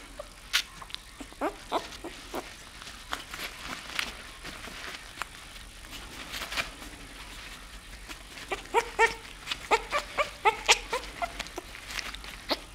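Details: A nine-day-old newborn bull terrier puppy gives short, thin, high squeaks among soft clicks and rustling.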